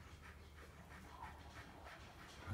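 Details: Tornjak, the Bosnian Shepherd livestock guardian dog, resting in the shade and panting. Soft, breathy pants repeat about three times a second in an even rhythm over a steady low hum.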